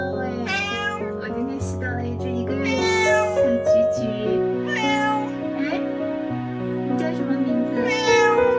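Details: A stray white cat with mismatched eyes cries nonstop outside a woman's gate for days. It leans its head into her hand. About four wavering meows sound over continuous background music.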